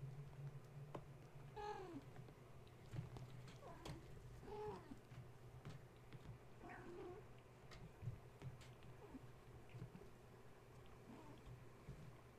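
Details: Gaia's kittens, wound up at bedtime after a space heater was switched on, climbing walls and fence instead of settling to nurse. Faint short mews repeat every two to three seconds amid soft scuffling, knocks and a constant low hum.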